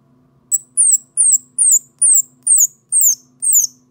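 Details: An orphaned, lost baby squirrel calls for its mother with thin, very high squeaky chirps, each sliding downward, repeated about twice a second.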